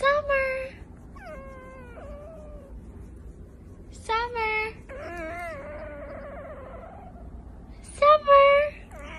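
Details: Domestic cat making drawn-out, wavering meows that sound almost like talking, three bursts spaced across the recording, with a person speaking and faint room hum between calls.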